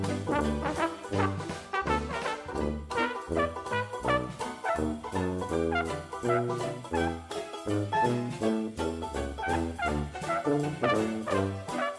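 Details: Lively brass band music, with trombone and trumpet playing a bouncy jazz tune throughout, and no animal sounds.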